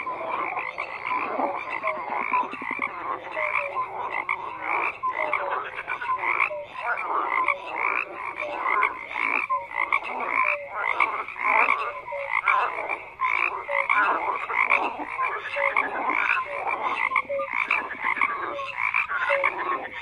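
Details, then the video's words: A continuous frog chorus of many croaking callers, rapid pulsed rattles overlapping steadily throughout, with occasional brief tonal notes above the din. "FROGS CROAKING"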